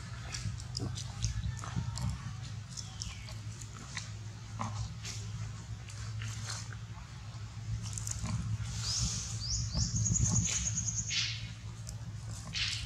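A baby monkey gives a shrill, high, drawn-out cry for its mother over a low hum and clicks.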